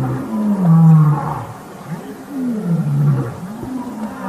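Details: Lions of the Matimba coalition keep roaring as the Birmingham males challenge them for takeover on August 5, 2015. Long, low tonal moans drift downward in pitch, loudest early and then trailing off in softer, wavering sounds.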